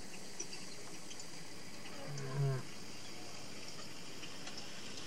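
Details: Soft calling from a lioness: a single deep, brief huffing moan of roughly half a second midway through, low and harmonic, over steady faint background hiss.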